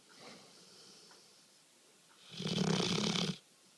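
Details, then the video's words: A pet dog fast asleep snores: a soft breath near the start, then one loud, rasping, buzzy snore lasting about a second, with a low rumbling tone under a broad hiss, followed by quiet. "My dog snoring like hell"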